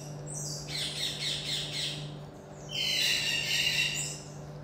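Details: Common marmoset in captivity giving a quick wavering chatter of shrill notes, then after a brief gap a longer, steadier piercing tone, all over a faint background hum.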